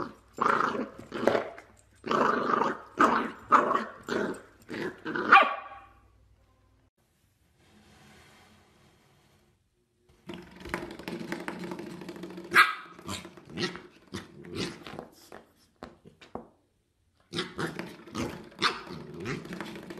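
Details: Corgi puppies yapping and growling: a rapid run of sharp, high barks for about five seconds, a near-silent gap, then renewed tumbling barks mixed with low growls in short bursts.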